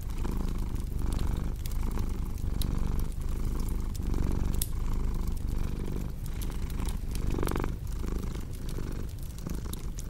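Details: A cat's purr rumbles low and unbroken, rising and falling in breath cycles a bit under one second long, with bright pops of crackling firewood throughout.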